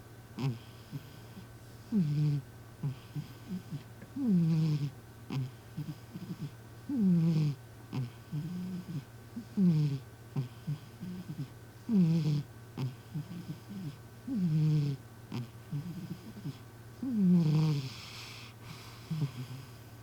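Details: Human-like snoring from M, a sleeping cat, in a noisy indoor recording: a long run of low, downward-sweeping snores about every two to three seconds, alternating short snorts and longer groans, above a continuous low hum.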